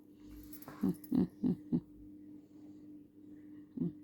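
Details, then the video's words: Ammu, a female house dog, keeps playing at night on the bed instead of settling down; four short, low, throaty grunts in quick succession, then a pause and one more grunt, over a steady indoor hum. "dog sounds"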